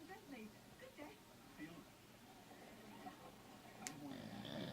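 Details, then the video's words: A pet pit bull snoring while asleep indoors. Soft, rough breathy snores pulse about every half second to second at low pitch, with a brief sharp click near the end and faint background hiss. "Pit bull snoring"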